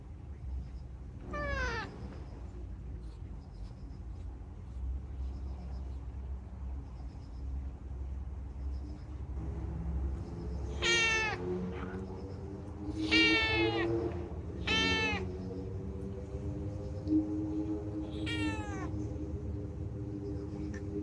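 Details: Unagi, a talkative rescued pet cat, chatters in a string of bright, rising-then-falling meows, four or five spaced a few seconds apart with rich overtones, over a steady low indoor hum and faint tonal background lines.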